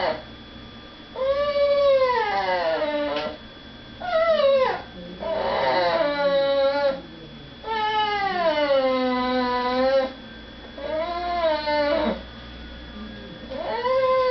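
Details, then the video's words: Female pet dog crying indoors, kept from going to beg at the dinner table while people eat in another room; drawn-out, tonal whines that arch up and then slide down, coming in several long bouts with short quiet gaps. "My dog makes funny noises."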